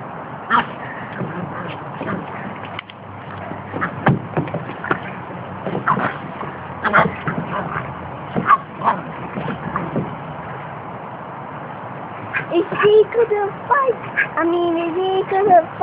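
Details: A Boston Terrier puppy defends the decking against a miniature schnauzer with sharp, yappy barks and whimpering yips.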